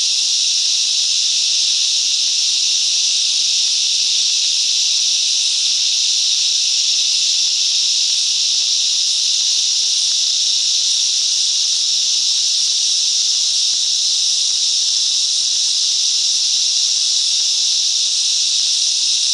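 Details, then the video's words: Chorus of cicadas in mangrove bushland at Coffs Harbour, New South Wales, Australia, producing a continuous high shrill buzz, constant in level from start to finish like steady hissing. "Cicadas Song - Coffs Harbour"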